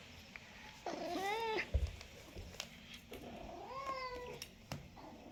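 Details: A cat gives two drawn-out meows about three seconds apart. Each rises and then falls, with rich stacked overtones, over a low background rumble and a few faint clicks.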